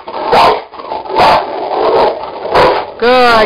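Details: Indoors, a pair of Cane Corso dogs tug at a springpole, producing harsh growl-barks about once a second, mixed with a person's cheerful spoken praise between bursts.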